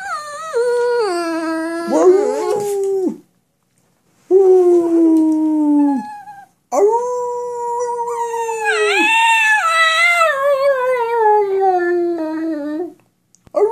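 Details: Pet dog talking back to its owner in drawn-out, wavering whines and howls, pitch sliding up and down across several long phrases separated by short silences, with a warbling break near the middle.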